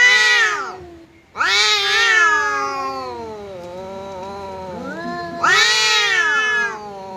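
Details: Domestic cat confronting a visiting cat, trading long drawn-out yowls: wavering, harmonic-rich wails that rise and fall over several seconds, with a short gap between outbursts.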